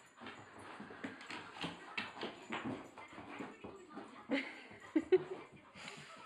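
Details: Rottweiler, excitable and hyper at night: a run of short, soft whimpering and yipping noises in irregular bursts, with scuffling between them.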